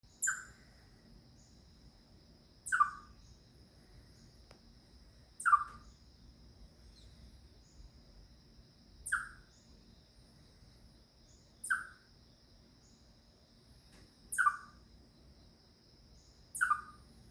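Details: Chipmunk crying when it senses danger: a sharp, downward-sliding chip repeated seven times at roughly two-and-a-half-second intervals, each note bright with faint higher overtones, over a quiet background with a steady thin hum.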